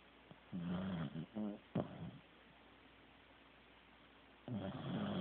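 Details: Teddy the Corgi asleep, producing a cluster of short, wavering, low snorts and snores in quick succession, then silence before another rough snore begins.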